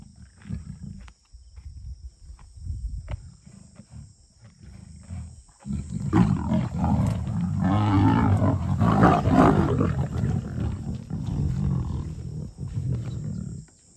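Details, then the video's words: Lions of a small breakaway group from the River pride fighting over a freshly killed steenbok; deep rumbling growls and snarls, low and continuous, swelling into a loud sustained roaring snarl midway before easing back to grumbling growls. "River pride lions make a kill (sound on!)"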